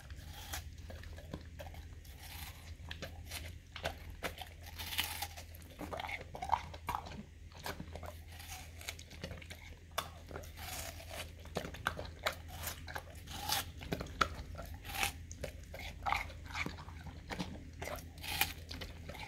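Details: Pet male English cream golden retriever eating a big slice of watermelon, his favorite fruit, as a dessert treat indoors; wet crunching bites and chewing come in dense irregular bursts, over a steady low hum.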